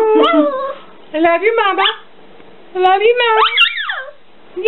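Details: Chihuahua producing three bursts of whiny, talking-like yips and warbling howls, each under a second long and separated by short silences, the last rising into a higher wail.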